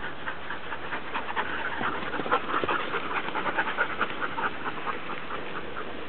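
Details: Pack of Siberian Huskies at a kennel enjoying summer, rapid rhythmic panting of several dogs at roughly two breaths a second, breathy and overlapping, with a steady low background rumble.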